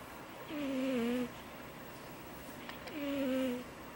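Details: Two drawn-out, high-pitched snoring breaths from a cat, each gliding slightly downward and lasting under a second, separated by a short pause with light room noise.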